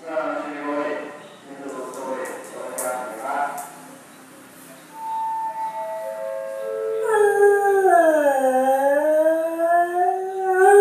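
A beagle gives a long, drawn-out howl that dips in pitch and then climbs again.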